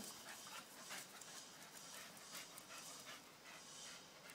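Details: Staffordshire Bull Terriers panting: quick breathy huffs repeated at a fast, uneven pace over a steady hiss of background noise.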